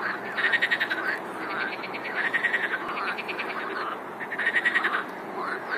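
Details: Frog chorus of many callers, fast pulsed croaking trills coming in loud bursts separated by brief lulls, over a steady background hum of further frogs.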